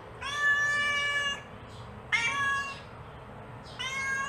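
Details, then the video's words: Calling her kittens, a mother cat gives three clear meows, the first long and even, the next two shorter with rising starts, over a faint constant hum. "Suara Induk Kucing Memanggil Anaknya"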